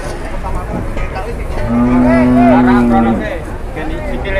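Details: Cow that had collapsed and then turned aggressive, in a cattle shed in Indonesia: one long, steady, deep moo lasting about a second and a half, with background chatter and low noise.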